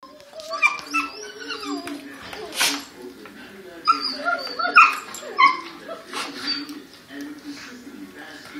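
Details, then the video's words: Several dogs howling together in a chorus, their long wavering tones overlapping and sliding up and down, with a few sharper high yelps and whines rising above the group. "Doggy chorus"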